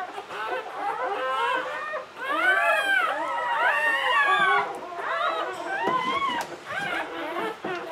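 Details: During the 2013 birth of puppy Licorice, seventh in a litter of nine, English Springer Spaniel Latte gives wavering, arching whines, some swooping upward and back down, in a near-continuous string of cries.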